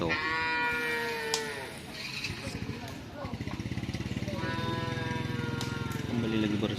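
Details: Madura cattle at a crowded karapan sapi (bull-racing) practice on the Asemanis field in Pamekasan. Two long, droning moos slide downward in pitch, separated by a rapid rhythmic pulsing, with crowd voices in the background.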